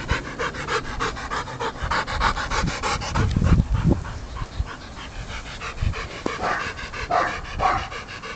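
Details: Ten-week-old puppy Aubrey von der Stark pants fast and steadily while playing with a ball, with breathy puffs repeating about three times a second over soft bumping and handling noise.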